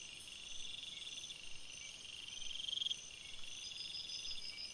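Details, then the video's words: Crickets at night in a forest produce a bright, buzzy trilling chorus; one rapid pulsed trill stands out loudly for a few seconds near the middle among fainter continuous chirping. "Crickets Sounds"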